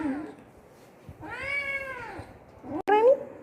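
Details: A sleepy pet cat crying instead of settling to sleep indoors: one drawn-out, harmonic meow that rises then falls over about a second, then a shorter rising cry, with music and a woman talking to the cat.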